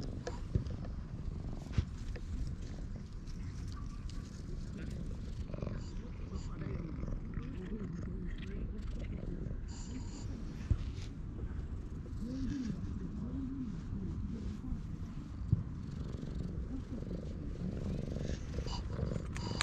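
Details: A stray cat in a park, stroked until it purrs with pleasure, filmed on a GoPro: a steady low rumbling purr runs throughout, under a soft human voice and faint outdoor background.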